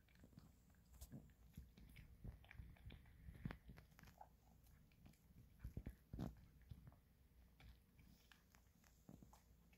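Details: Maltese dog eating kibble indoors: sharp irregular crunches and clicks of chewing, clustered in bursts, in a quiet room.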